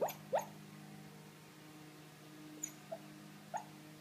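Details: Silky Terrier puppy dreaming indoors, giving a few short, high, rising yips and whimpers near the start, then faint squeaks later, over a steady low household hum.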